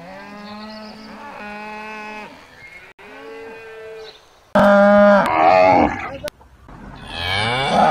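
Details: Cattle lowing: several steady, moderately loud moos in a row, then a much louder, harsher bellow with noisy overtones near the end.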